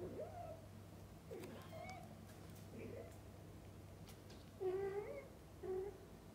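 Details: Mother cat feeding and bathing her kittens, several short harmonic meows and chirps, some rising then falling, the loudest pair near the end, over a steady low hum.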